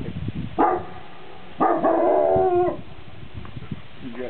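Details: A shepherd dog baroo-ing from a mountain top, listening for the echo of its bark; a short harmonic yelp followed by a longer drawn-out howling bark of about a second, some faint rustling around.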